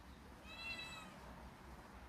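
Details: Cat outdoors near a mango tree in hot afternoon sun, giving one soft, thin meow of under a second, slightly rising then falling, over a low background rumble.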